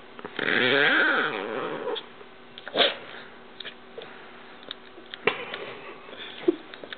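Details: GIR, a pet dog teased in play, lets out one long wavering whine-like howl of over a second, followed by soft sniffs, clicks and small rustles in a quiet room.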